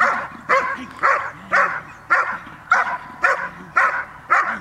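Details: Dog named Cola Gel.vilkas, offspring of Figo vom Nordteich and Tulpi Gel.vilkas, barking during training on 5 May 2015: eight loud, evenly spaced barks, roughly two per second, each a sharp harmonic burst.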